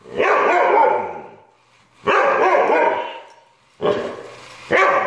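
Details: Siberian Husky howling in three sustained, rich, harmonic cries, each about one and a half seconds long, separated by brief silences.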